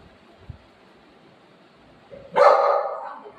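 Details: A single loud, hoarse bark bursts out after two seconds of near silence as a golden retriever and a shih tzu puppy, Buzo and Milo, scuffle, trailing off into a brief yelp.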